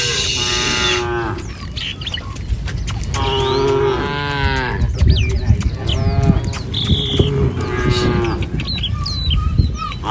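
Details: Tame village cattle filing across a wooden bridge toward pasture, several sustained moos, one after another, each lasting around a second, with scattered bird calls and low rumbling behind.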